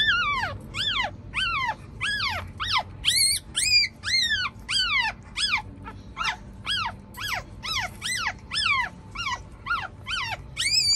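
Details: Screaming Chihuahua puppy at feeding time as the mother carries it to nurse; a fast run of about twenty shrill, arched squeals, each rising and dropping sharply, with short gaps and some faint household noise.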